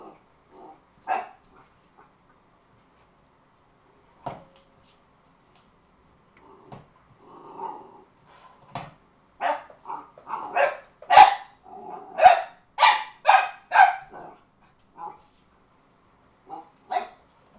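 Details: Cardigan Welsh Corgi named Shaker confronting a root beer can he thinks is evil: scattered single barks and a low growl early, then a rapid run of loud, harsh barks around the middle, tapering to occasional yips.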